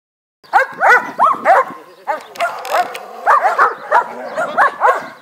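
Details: Dobermann named Taran barking in quick, loud bursts: sharp, arched barks in tight clusters of two or three, separated by brief pauses, with a faint human voice in the background.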